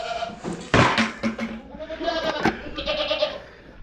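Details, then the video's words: Young female goats on a farm hollering during feeding after eating five pounds of feed: loud, wavering, drawn-out bleats overlapping from several animals, with bumps and rustling nearby. "You hear them baby girl goats over there hollering. They've already ate 5 pounds of feed."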